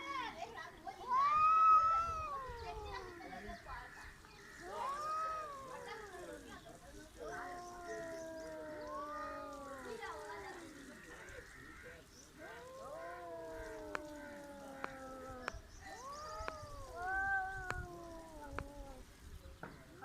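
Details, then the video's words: Cats squaring off in a fight that never quite happens, trading long, drawn-out wailing yowls that rise and then sag in pitch, about six of them spaced a few seconds apart, with faint clicks and background murmur. "cats are trying to fight but failed"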